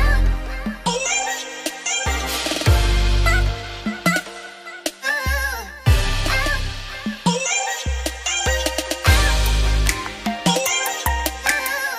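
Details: Electronic dance music with deep pulsing bass, synth melodies and punchy beats throughout, with no animal calls present.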